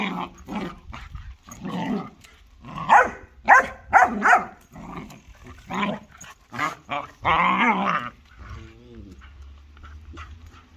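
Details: German Shorthaired Pointer and Jagd terrier fighting: rough snarling growls and harsh yelps in bursts, a loud drawn-out snarl near the end, then a low rumble.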